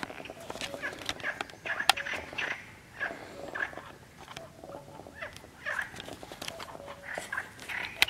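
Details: Perez's frogs recorded 7 May 2020 around the San Antolín pond in Zamudio, Goikomendi: short buzzy, rasping croaks repeated in irregular bursts, with scattered sharp clicks and faint low tonal notes in the background.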